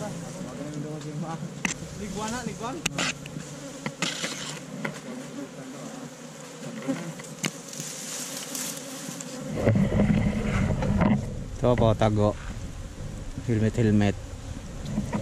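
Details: A steady, low buzzing drone from honey bees nesting in a tree-trunk hole while honey is harvested, recorded with a GoPro Hero5 Black; clicks and knocks early on, then louder bursts of human speech in the second half.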